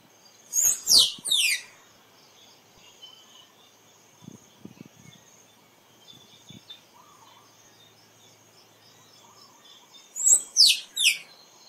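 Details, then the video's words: Squirrel calling in two short bursts about nine seconds apart, each made of three sharp, high squeaks that slide steeply downward, with quiet background hiss and a few soft low knocks between them. "เสียงกระรอกร้อง คมชัดไว้ต่อ squirrel sound"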